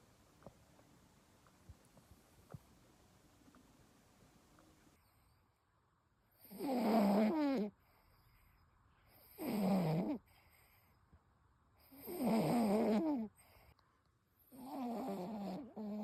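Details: Toy Poodle named Ichigo snoring loudly like an old man, four long rasping snores spaced about every two to three seconds, each a broad harsh burst, with a quiet room between them.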